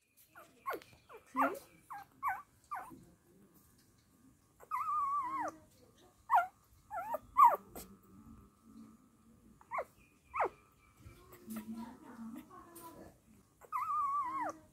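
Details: Dachshund dog mother caring for puppies gives scattered high whimpering squeaks and several long wavering whines, separated by quiet gaps with a soft low murmuring undertone.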